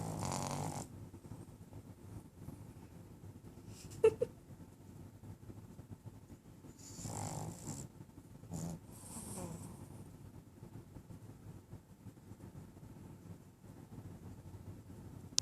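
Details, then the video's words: Sleeping puppy snoring indoors: low, rough breathing rumbles that rise and fall in slow waves, with a few brief louder snorts and small clicks scattered through. "Ramone snoring"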